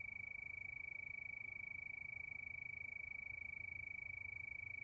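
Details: Night crickets give a bright, even, high-pitched trill, pulsed roughly three times per second and never pausing, with soft low-frequency hum underneath.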